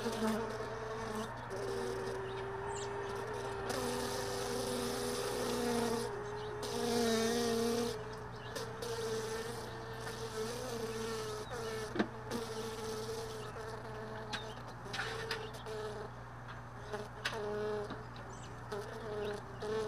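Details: Honey bees lingering around hive boxes left all day in a truck bed, early morning. A steady, wavering buzz drones on with layered tones, swelling louder around the middle, over a constant low hum and a few sharp clicks.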